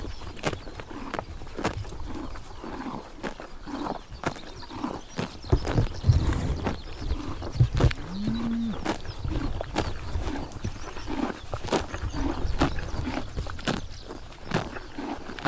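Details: Horses eating grass on a summer morning in Tuv province, Mongolia: crisp, broadband crunching bites repeat every half second to a second, with a short, low, drawn-out animal call near the middle and a quiet outdoor background.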